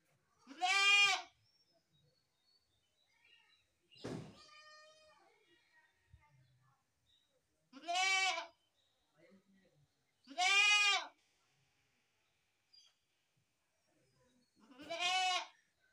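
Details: Goat bleating in four short, clear, strongly harmonic calls spaced several seconds apart, each slightly rising then falling, with a sharp knock or thud between the first two and quiet gaps otherwise.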